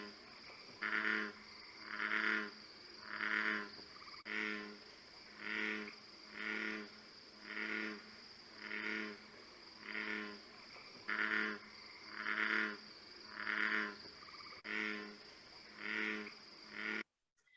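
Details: An American bullfrog gives deep, droning notes like a pulsing foghorn, repeated about every second, often rendered "jug-a-rum".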